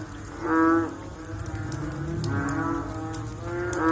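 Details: After rainfall, frogs give low, nasal, moo-like calls, each a brief harmonic note around half a second long, spaced irregularly about every one and a half seconds, over steady background patter of rain.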